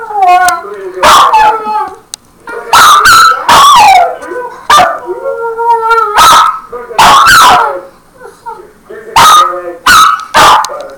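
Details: Domestic dog howling at an answering machine, producing repeated bending, quavering howls and sharp yips in quick succession, with brief gaps between bursts and some overlapping voices.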